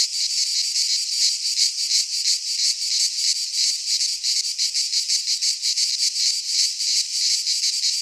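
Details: Midsummer chorus of cicadas in a pine forest in Greece, a harsh, shimmering, steady drone that swells and fades in quick regular beats, almost three per second, throughout.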